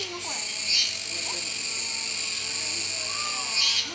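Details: Kuroiwa cicada chorus recorded 16 October 2021 at Neo Park Okinawa, Japan, where capybaras keep eating: an unbroken piercing high-pitched whine with a sharper emphasized burst at the start and another near the end, faint low squeaks below.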